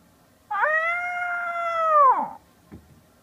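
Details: Domestic cat replying to a person's imitation meows with one sustained, even meow that rises slightly before dropping sharply at the end. A soft thump follows over a quiet room hum.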